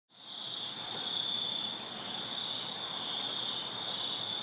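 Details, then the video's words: On a summer night in a Virginia backyard, many crickets chirp together in a dense, continuous high-pitched trill. "Crickets Chirping Summer Night in Virginia"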